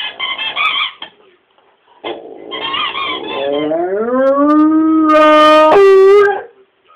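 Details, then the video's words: Rommel the dog howling: short wavering, yodel-like yowls first, then after a pause a long drawn-out tonal howl that slides upward, holds steady and ends with a brief higher break. "Rommel howling"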